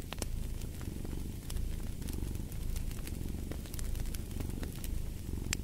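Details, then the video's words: Cat's continuous low purr, a rumbling drone with soft swells as it breathes, mixed with sharp crackles from a burning fire. "Purring of a Cat"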